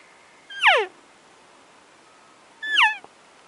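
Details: A bull Arizona elk bugling at two yards during an Arizona elk hunt; two short high whistled calls, each sliding steeply downward with harmonics, about two seconds apart, with a man softly saying "go on".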